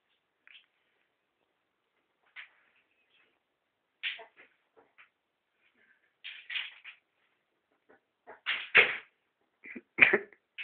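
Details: Pet ferret Rudi fighting for food gives scattered short, raspy squeaks and bursts. They start sparse, then grow louder and more clustered toward the end, with knocks and shuffling indoors.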